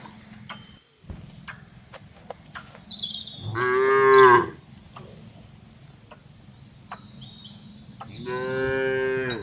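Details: Cattle in an oil palm plantation in Bekri district, Central Lampung, Indonesia, give two long, drawn-out moos over chirping birds and insects.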